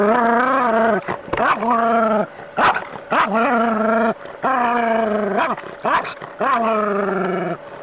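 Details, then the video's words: Dog confronting a snake, giving a series of long, loud, wavering howling whines, each lasting about a second, separated by brief pauses. "Snake vs Dog - ثعبان مقابل الكلب"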